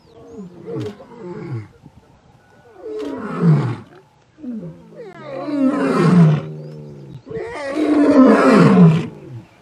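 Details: Young male lion from a coalition returning to take over their fathers' territory, Masai Mara, Ol Kinyei Conservancy, Kenya; a series of deep grunting roars that build in loudness and length, four bouts roughly two seconds apart.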